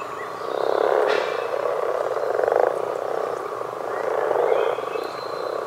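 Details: Loud, close common frog croaking: rasping, purring bursts that rise and fall in three broad swells, with a few faint high bird notes behind.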